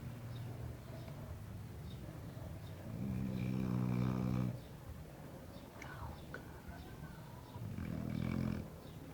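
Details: Layla, a pet dog, asleep and snoring like a person: a buzzy, rattling low snore swelling for about a second and a half, quieter breathing between, then another shorter snore near the end.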